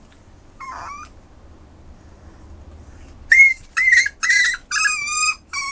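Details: Westiepoo dog giving high, thin whistled whines, a short one near the start, then a rapid run of loud squeaky cries with rising and falling pitch over the last two and a half seconds; quiet pauses between.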